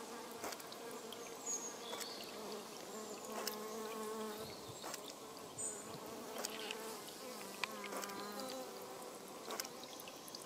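European honey bees buzz steadily, a dense hum of overlapping wingbeats with pitches drifting up and down.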